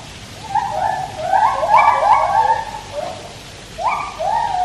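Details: At Taipei Zoo, singing white-handed gibbons produce a tight cluster of rising and falling whoops with a brief trilled peak, then a gap and two more bold upswept hoots.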